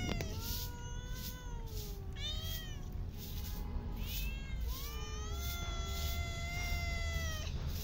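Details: Street cats being fed in a park meow repeatedly, drawn-out tonal meows sliding down then level, several in a row, over a steady low rumble of outdoor noise.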